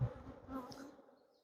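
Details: A Western honey bee gives a low, steady buzz that wavers briefly then fades within a second, at a farm apiary on July 9 while supers are cleared of bees, with rain coming in.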